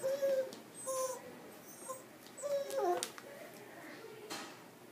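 A Miniature Dachshund gives a few thin, high whines, some sliding downward, indoors.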